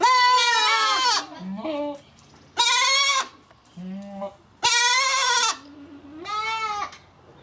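A goat gives loud, wavering bleats, each about a second long, with a person talking quietly between them.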